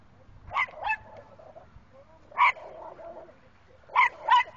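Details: Little Chihuahua fearlessly confronting two bigger dogs, Bailey and Chance: high-pitched, yappy barks in quick pairs, five sharp barks over about four seconds with short pauses between bursts, over a faint low background rumble.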